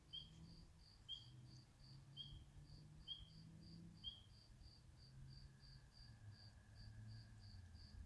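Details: Spring peeper calling from a swamp: five short, rising whistled peeps about once a second, over a steady run of rapid high pulsed trilling and a low background rumble.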